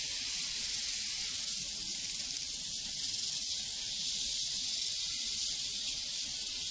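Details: Crickets on a prairie in a dense, steady chorus of high shrill chirps that pulse rapidly without a break, filling the upper range evenly throughout.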